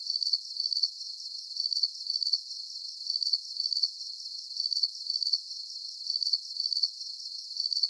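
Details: Crickets in a calm nighttime sleep soundscape, chirping in a steady rhythm: short, piercing pulse bursts roughly every half second over eight seconds, set against a thin continuous high buzz.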